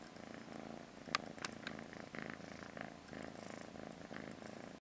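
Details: Lucy, a young blue British Shorthair cat lazing on a sofa indoors, purrs in a low, steady rumble that swells and fades in regular breathing cycles, with a few faint clicks over it.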